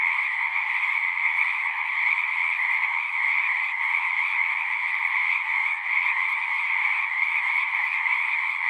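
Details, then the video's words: Frogs singing as natural sounds, a dense, unbroken chorus of many callers merging into a steady, even trilling drone in two bands, one mid-pitched and one higher, with no pauses or other sounds. "One hour of singing frogs."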